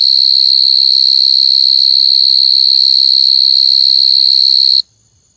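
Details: Coconut crickets crying: a loud, piercing, high continuous whistle-like trill with a fast pulsing flutter, held steady for nearly five seconds before stopping abruptly, leaving near silence.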